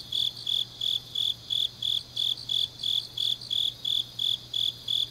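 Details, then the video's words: Deep autumn night in Changnyeong, South Gyeongsang Province: grass insects give a steady high-pitched chirp, roughly three pulses each second in an unbroken rhythm, with a soft constant hum below. "깊은밤 가을 풀벌레 소리"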